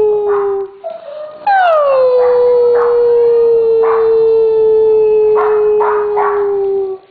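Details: Siberian Husky among three household huskies urged to howl on cue; a short low note, then a long howl that drops from a higher start and holds steady, while shorter overlapping howls or yips from other dogs join in.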